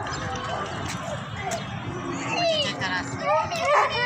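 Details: Kohati Gultair bully dog giving high, whining yelps that rise and fall, bunched in the final second and a half, over a dense, steady background hiss with a voice nearby.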